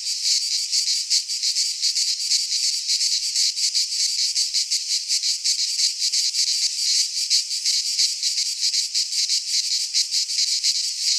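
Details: Midsummer cicada chorus from Greek pine woodland: continuous sizzling high drone broken into fast, slightly uneven pulses, several insects overlapping, nothing else audible.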